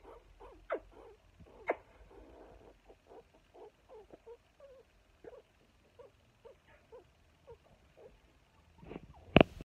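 Brief, soft peeping notes from a meerkat repeat at an uneven pace, each a quick chirp in a mid register. A few louder clicks or knocks break in, including one sharp sound at the very end.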